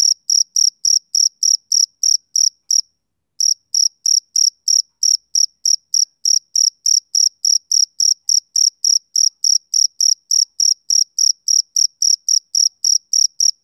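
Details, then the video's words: Male cricket chirping on a summer evening: bright, shrill pulses in a fast regular rhythm, interrupted by a short pause near the start, then resuming steadily, with no other sounds. "Cricket Chirping Sound Effect"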